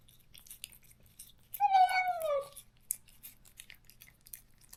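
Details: Korean countryside stray cat, parted from its close companion after neutering, gives one long wavering meow that slides downward, over a background of steady clicking and chewing-like noises indoors.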